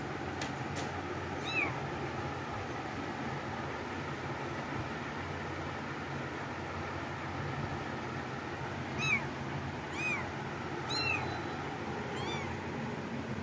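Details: Cats indoors, a few short arched meows spaced through the clip, faint against a steady broadband hum, with a couple of sharp clicks near the start.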